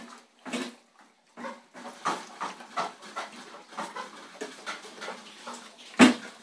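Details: An Alaskan Malamute at feeding time gives a run of short, breathy whines and yips, ending in one louder yelp.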